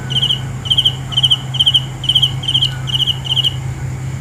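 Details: Cricket producing evenly spaced, ringing chirps of three or four fast pulses, about two per second, a few faint clicks between them and a continuous low drone behind.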